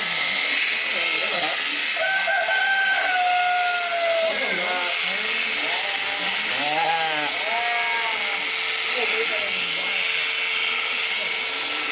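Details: Babydoll sheep, one of two visiting during a shearing, gives several wavering, harmonic bleats between two and eight seconds, half drowned by the steady loud hiss of electric shears and people talking nearby.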